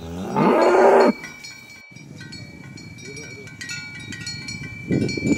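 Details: Herded tame cows heading to the pen on a village road in the morning; one loud, full moo near the start, a faint low call in the middle and another moo beginning at the end, against constant cowbell clinks.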